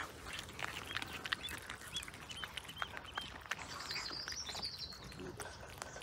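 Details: Cats eating fresh sprat: a steady run of soft wet crunches and clicks a few times each second as the fish is chewed, with small birds chirping and a thin whistle in the background.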